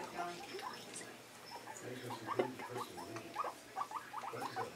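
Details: Newly acquired guinea pig, kept for just over a week, very excited while loose in a bathtub with towels and hay during cage cleaning and popcorning: quick, short squeaky chirps in irregular clusters, a faint voice in the background.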